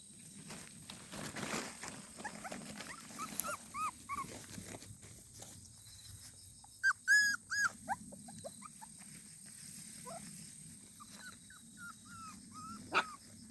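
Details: Puppy giving faint, high, thin whimpers and short yelping squeaks, clustered near seven seconds and scattered elsewhere, over a steady low background hum and rustling.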